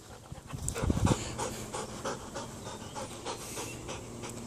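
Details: Belgian Malinois named Loki, 19 months old, during home obedience training: a brief loud burst of breath, then soft steady panting with faint rhythmic puffs and a low hum underneath.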